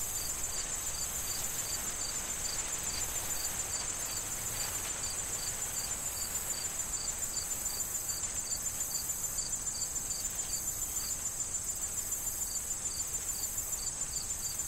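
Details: In a fall corn field soon to be harvested, crickets keep up regular high-pitched chirps around three per second, layered over a bright steady trill while wind rustles the corn.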